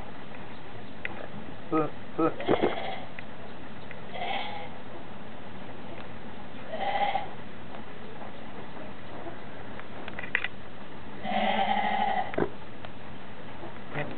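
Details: Goat said to go around laughing and sneezing all day, giving several harsh, nasal bleating bursts at about four, seven and twelve seconds, among background music, human speech and laughter.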